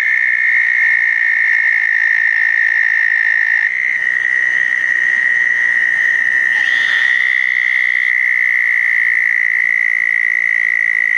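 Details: A chorus of southern toads gathers at a pair of small backyard-dug ponds after a June 2014 thunderstorm. Unbroken high trilling runs the whole time, a second lower trill drops out after a few seconds, and a brief extra note comes near the middle.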